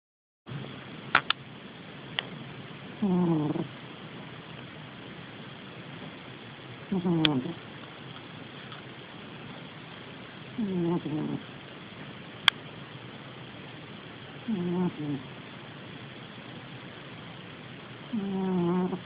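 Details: Domestic cat snoring while asleep, recorded on an Android phone: low raspy snores with a rising harmonic buzz, one roughly every four seconds, with faint clicks between them in a quiet room.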